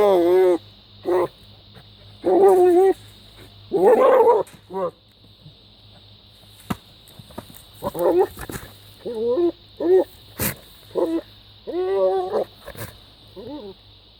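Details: Goat giving a string of bizarre, strained, wavering bleats, some loud and sustained, others short and quavering, repeated every second or so, with a constant high hum behind.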